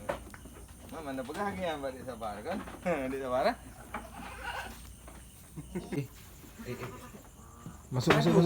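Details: Penned goats at Indatu Farm in Lhokseumawe, Aceh, Indonesia, kept for Qurban and Aqiqah, give a run of quavering, vibrato bleats over about two and a half seconds. Fainter clicks and a man's voice follow.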